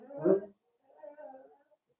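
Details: Blenheim Cavalier King Charles Spaniel puppy from a litter of five, born on New Year's, at play with its mother Paris in a home puppy pen: a short harsh growl, a pause, then a longer, lower grumbling growl.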